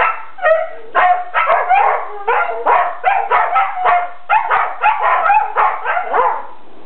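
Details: Several pet dogs play-fighting indoors in a living room give a rapid series of short, yowling, harmonic howl-like cries, roughly two per second, rising and falling in pitch, with no other clear sounds.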